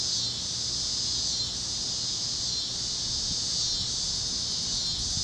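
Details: Kansas sunset over open fields, cicadas in chorus on a warm plains evening; a shimmering high-pitched drone runs without a break, gently swelling and easing, over a soft low rumble.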